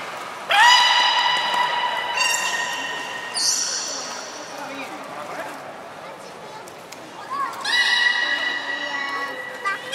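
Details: Beluga at Port of Nagoya Public Aquarium during the 16:00 public training session on 4 November 2018: long, steady, harmonic tonal calls recur several times, some with a rising start, over a hall-like murmur.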